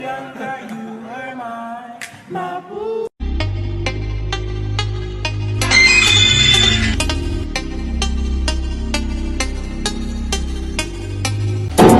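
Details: Pop music with singing, then a sudden switch to a louder beat-driven track with cymbal hits; no animal sounds.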